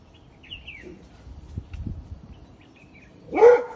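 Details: A vervet monkey in a wild fig tree in South Africa gives one sharp, harsh bark-like call after a quiet stretch with faint bird whistles.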